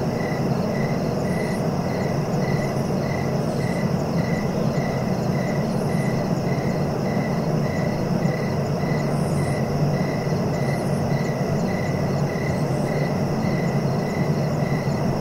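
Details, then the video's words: Crickets chirping steadily: a rapid, even pulsing trill repeated without pause, with fainter higher chirps above, over a constant loud low rushing background hiss. "Relaxing cricket sounds for sleeping"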